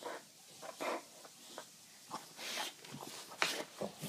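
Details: Rescue American bulldog, brought from Ireland to Sweden, playing indoors in a small room; short breathy snorts and brief whimper-like yelps come in quick uneven bursts, with louder rasping puffs near the end.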